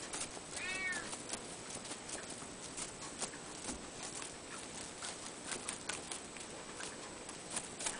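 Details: Ragdoll cat, one of the Anon-chan siblings, gives a single short rising-falling meow near the start, followed by scattered light tapping and clicking sounds for the rest of the recording.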